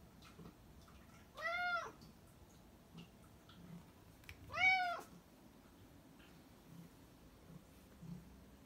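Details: Two separate meows from a black cat, about three seconds apart. Each is a rounded, arched, harmonic-rich cry that rises and falls, with quiet room noise between them.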